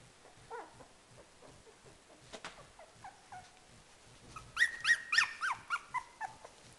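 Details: Lakeland Terrier puppies giving a quick series of high, thin whimpering yelps, about a dozen short rising squeals bunched near the end, with softer faint whines and a couple of clicks earlier.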